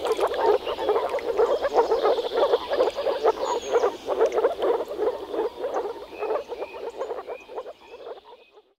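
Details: Frog chorus from a Czech wetland in spring: fast pulsed croaks, about two per second, overlapping and fading out at the end, with faint bird notes.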